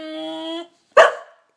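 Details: Seven-month-old pet bulldog indoors talking back when told to go to bed: a short sharp bark, after a person's drawn-out word.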